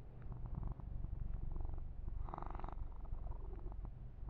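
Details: Rapid, regular rumbling purr of Yumak, a young male house cat, during a massage, heard very close; one short scratchy burst of fur being rubbed midway.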